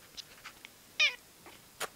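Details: Pet cat indoors, being fondled by its owner; a single short, high, harmonic meow bends downward near the middle, surrounded by faint clicks and a sharp tap near the end.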